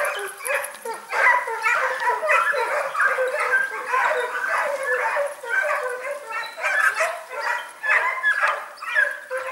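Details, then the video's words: Segugio Italiano hounds, smooth- and rough-coated, hunting hare at Sofiko, Evros, Greece, on 18 October 2015; a dense, continuous chorus of overlapping yelping bays from several dogs, pulsing in rapid bursts. "Κυνήγι Λαγού Σπύρος Σοφικό Έβρου 18 Οκτ 2015 Segugio Italiano Pelo Raso Pelo Forte"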